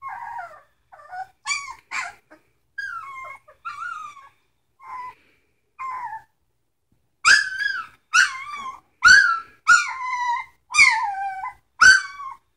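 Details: Three-week-old pups from Sitka and Izzi crying: softer overlapping whimpers and squeaks first, then a louder run of six piercing yelping whines spaced about a second apart, slurring downward in pitch.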